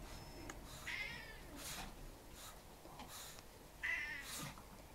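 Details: House cat that wants to go back outside soon after being let into the living room. Two short, quiet meows come near the first and fourth seconds, with soft rustling in a quiet room.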